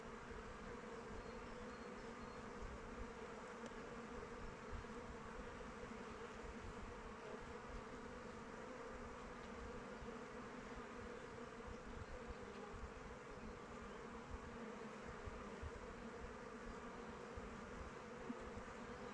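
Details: Honey bees flying around their hive in open weather: a dense, steady hum of many wings with a low droning band and an even, unbroken texture for the whole stretch, no other animals standing out.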